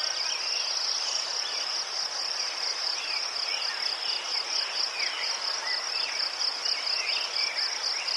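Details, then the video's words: Crickets in Ukraine among chrysanthemums, a steady high-pitched pulsing chirp held on one shrill note, with faint short sliding whistles, perhaps distant birds, drifting underneath. "Заспокійливий звук цвіркунів//The soothing sound of crickets"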